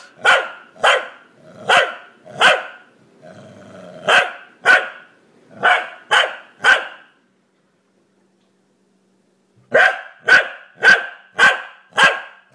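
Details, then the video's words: A corgi named Bentley barks repeatedly indoors while its owner tells it to be quiet; sharp, loud barks come in quick bursts about every half second, with a low growl between, a pause, then another run of barks. "Corgi Barking"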